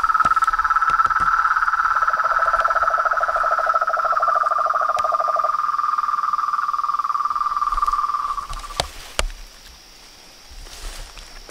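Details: Frogs, toads and tree frogs calling at dusk from a pond by a house veranda: a high trill with a lower rapid trill joining briefly, then the chorus fades into quiet with a few knocks.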